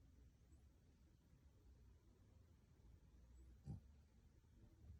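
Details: A male Shih Tzu in deep, cozy sleep, possibly dreaming, snores softly throughout in a low, steady rumble, with a couple of short, louder snuffling snorts near the end.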